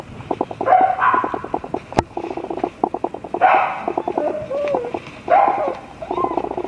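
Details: Black-and-tan and chocolate Dobermann puppy siblings whining and grunting: quick pulsed chatter interleaved with short curving whimpers, in bursts separated by quieter gaps.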